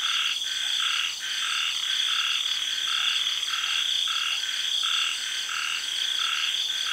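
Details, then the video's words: Night frog chorus in a Thai tropical garden after the early rains, with short croaks every second or so. A continuous shrill buzz of cicadas and other insects runs throughout. "Night Sounds-Frogs and Cicadas"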